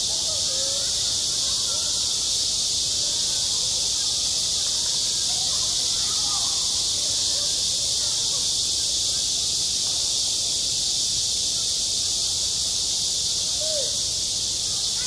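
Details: Cicadas droning in high summer across a school playground, an intense, unvarying shrill buzz sustained for the whole stretch, with occasional faint chirp-like tones and short glides lower down.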